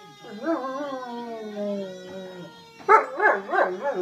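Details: Pet German Shepherd howling in response to a fire truck siren; a long wavering howl slowly falling in pitch, then a burst of loud yodelling, undulating howls at the end, steady siren tones beneath.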